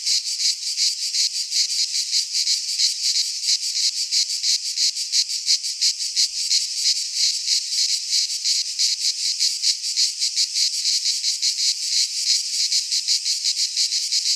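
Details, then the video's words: Greek pine forest in midsummer, cicadas in chorus: unbroken shrill rasping drone with rapid even pulses, loud and constant across the whole stretch, nothing else audible. "Cicadas singing in midsummer"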